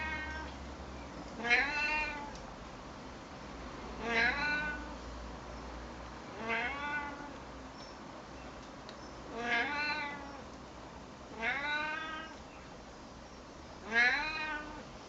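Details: Talkative, friendly male Siamese cat conversing with a person: six drawn-out, descending meows spaced roughly two to three seconds apart, each strong and harmonic-rich, with a low hum in the background.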